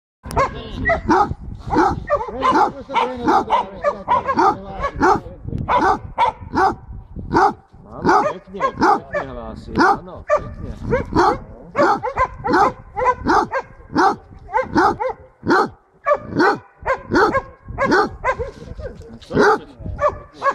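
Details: Basset hound Jenny baying at a wild boar during a hunt near Šaštín, Slovakia, 10 January 2014; loud, rapid, uneven barks follow one another almost without pause for twenty seconds, with faint voices underneath.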